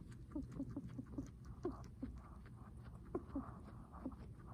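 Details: Guinea pig breathing heavily, giving soft, short squeaky notes that dip in pitch, about ten of them in quick uneven succession over a low, steady background rumble.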